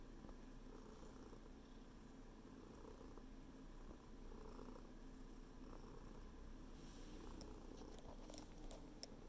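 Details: Low, constant purring from a house cat working its paws into a blanket; the rumble stays steady and slightly swells midway, with light scratchy fabric sounds near the end.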